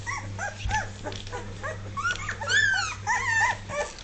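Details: Dogue de Bordeaux puppies, two and a half weeks old, learning to walk; several high, wavering whines and squeaks rise and fall in overlapping bursts, with a steady low hum underneath.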